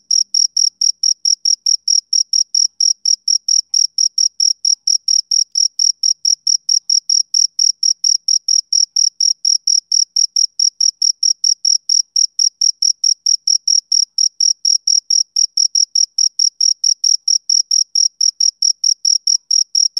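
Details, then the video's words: A male cricket keeps up a long, unbroken series of shrill chirps, rapid high pulses ticking along at an even pace of roughly three to four per second; no other animals, voices or background noise. "Cricket Chirping Sound Effect"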